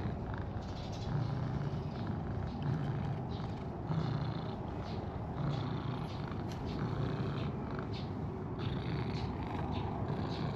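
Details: Stray cats, a cream cat and an orange tabby companion pair, out in a park on a warm spring day; a low, rumbling purr rises and falls in soft pulses over steady outdoor hum, with faint high chirps from birds.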